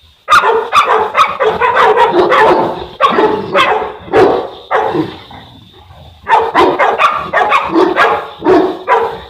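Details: Enzo and Diva, a Boerboel or African Mastiff pair kept in Egypt: rapid, heavy barks run together in a dense volley, break off near the middle for about two seconds, then resume just as forcefully.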